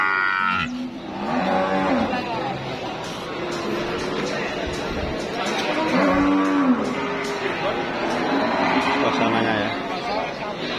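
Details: Sacrificial cattle held for Eid sale at a livestock market: scattered low moos, a few longer bellows, partly buried under dense crowd noise and faint music.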